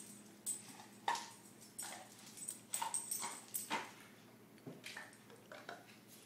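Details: Pet dog Moose indoors, attacking and playing with ice cubes in a small room; a series of short, sharp whimpering yips rising and falling over several seconds, mixed with the clack and skitter of ice on a hard floor.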